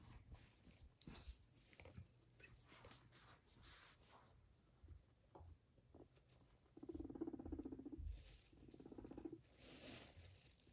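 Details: Guinea pig named Max, a sheltie kept as a pet, eating grass indoors: rapid irregular crunchy chewing clicks, with two short blurry mid-pitched bursts near the end.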